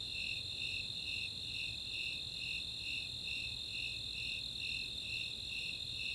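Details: Snowy Tree Crickets and Four-spotted Tree Crickets calling together on a summer night in Chautauqua open space, Boulder, Colorado; evenly spaced shrill chirps roughly two per second layered on a constant ringing trill.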